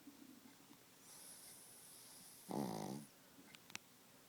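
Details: Small Pekingese dog snoring loudly in its sleep: a soft hissing inhale followed by one short, rattling, buzzy snore, then a couple of faint clicks in a quiet room.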